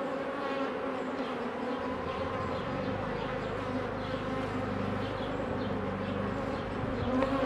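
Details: Honey bees humming loudly around open hives during beekeeping work in 2018; a thick, even, low-pitched drone that holds throughout, with a faint rumble underneath.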